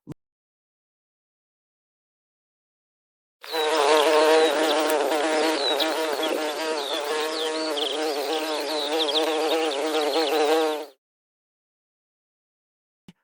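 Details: A bee buzzing in one steady, droning hum that lasts about seven seconds and then stops, with silence before and after and no other sounds.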